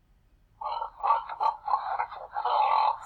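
A domestic pig grunts in a rough, nasal series of short bursts, each rising and falling. The calls come in quick succession over a few seconds with a slightly roomy echo.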